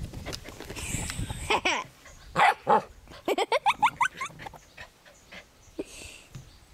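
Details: Scottish Terrier puppy playing happily in a garden, giving high-pitched yapping barks and yips, with a quick run of short sharp barks in the middle and softer whimpers between bursts.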